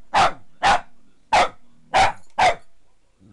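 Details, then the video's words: Maggie, a female Boston Terrier kept as a pet, barks at a foot massager she hates: five loud, sharp, evenly spaced barks roughly every half second, with a faint low hum between them. "Boston Terrier vs. Foot Massager"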